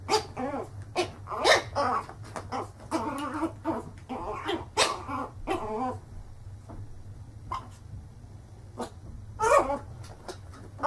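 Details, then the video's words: Angry barking and growling from dogs, a dense run of loud barks for the first six seconds, then sparser sharp barks with quieter gaps and a final burst near the end. "Funny Dogs Barking - funny dogs barking and growling videos compilation 2016"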